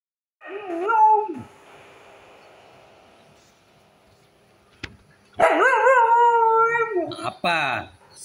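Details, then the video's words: Siberian Husky grumbling: a short wavering whine-howl, a few seconds of quiet, then a long loud warbling grumble with bending tones, ending in a quick sharp yelp-like call. "Siberian Husky ngomel"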